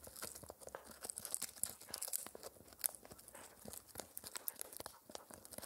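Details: Spencer, a young Shetland Sheepdog aged four months, crunching a dried ear dental treat indoors: loud crisp bites and crackling tears in fast irregular succession, several sharp high snaps.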